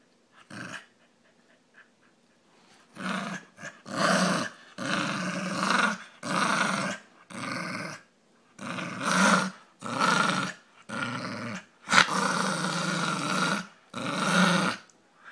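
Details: A pet Brussels pug makes its funny noise indoors, a string of harsh, raspy growling grumbles, each lasting half a second to a second and a half, repeated about once a second with short silent breaths between.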